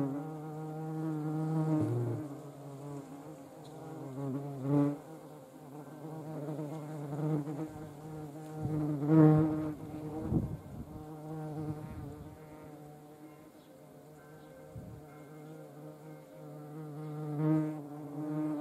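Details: Hornet flying while urinating and throwing off ants; a continuous deep humming buzz that pulses louder and softer over about eighteen seconds, broken by a few brief rustling clicks.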